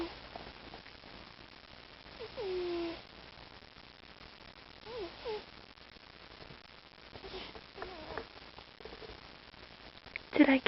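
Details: Sleeping house cat Mr. T snoring quietly, with three brief whistled, falling wheezes spaced roughly three seconds apart. A soft steady hiss lies behind them, and a sharp clatter comes at the very end.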